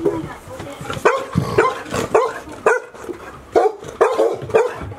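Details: Golden Retriever puppies, 158 days old, indoors at Ain village, Japan, during the approach of Typhoon 24 on 30 September 2018, give quick repeated high barks, roughly two per second, alongside a woman's voice.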